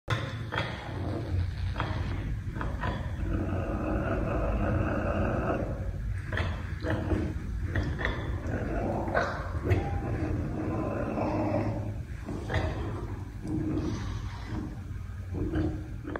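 A caracal growls in a low, rough, rumbling voice, with harsher voiced surges breaking through.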